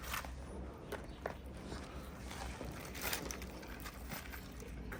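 Only low rumbling background noise and a few soft knocks and shuffles are heard, with no animal voice.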